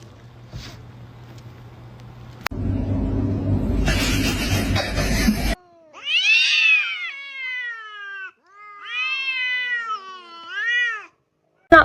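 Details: Kitten meowing indoors: after rustling and muffled noise, a run of loud, drawn-out, wavering meows, each rising then falling, repeated in two bursts with brief pauses between.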